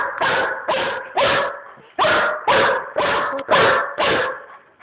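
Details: Stray Chihuahua found roaming a busy street, brought home briefly and playing with two other dogs, Cookie and Tequila; a steady run of eight sharp, loud barks, spaced roughly half a second to a second apart.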